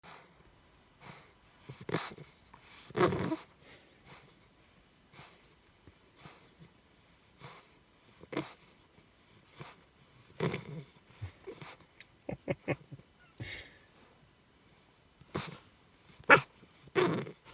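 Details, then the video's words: English Bulldog puppy, 13 weeks old, making its nightly pre-bedtime chaos noises indoors in a converted van: scattered snorts, wheezy breaths and short grunting bursts, with sharper squeaky yips near the end, separated by quiet pauses. "Bulldog Puppy Makes Funny Noises"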